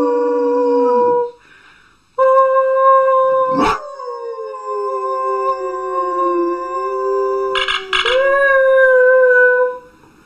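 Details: Dog howling in steady, sustained tones broken by a short gap, then a long level howl with a sharp yelp partway through, ending in a rising, falling wail. Taken from a compilation of singing and howling dogs.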